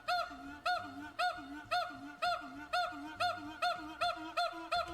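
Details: A northern white-cheeked gibbon gives rapid, honking hoots, about two each second, like a squeeze or clown horn.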